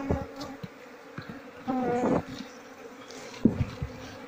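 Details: Queenless Asian honey bee colony, combs packed with honey but no larvae, opened by beekeepers; droning hum with surges of louder buzzing around two seconds, plus sharp knocks from handling the comb.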